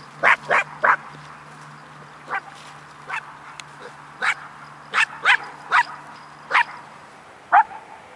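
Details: Female Icelandic Sheepdog guarding harvested wheat fields next to the dogs' play area, barking to protect them from birds; sharp, high barks in quick bursts, about eleven over eight seconds, some paired, with a faint steady hum beneath.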